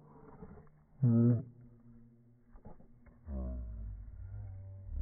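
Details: Boston Terriers competing for a ball: a brief, tight, high-pitched growl bursts out, followed after a quieter stretch by a longer, low, rolling growl that builds toward the end.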